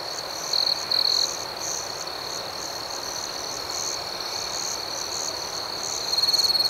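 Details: Nighttime cricket chirping as an unbroken, shrill, high trill with a rapid rhythmic pulse. Louder chirps stand out near the start and again at the very end.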